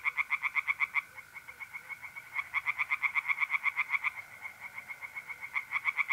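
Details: Pond tree frogs calling at night in mid-April, north-east Italy: rapid bursts of harsh clicking croaks with a short lull after the first second. A continuous thin mole cricket trill hums throughout.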